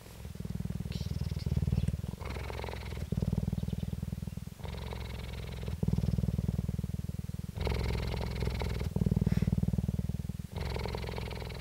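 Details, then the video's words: Captive female cheetah purring at the Dell Cheetah Centre, Parys, South Africa, 5 May 2019: steady deep rapid throbbing, about four pulses a second, in long stretches alternating with brighter, raspier phases every second or two. "purring cheetah"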